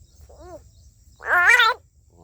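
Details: Big green frog caught on caterpillar bait while fishing, calling while held: a faint short arched harmonic cry, then a loud nasal, wavering wail lasting about half a second, with low background rumble.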